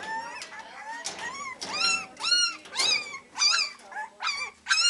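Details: Three-week-old Beagle pups at the Maryland SPCA yelping and baying in short, piercing, bent notes spaced roughly half a second apart, some rising sharply, with low rustling underneath.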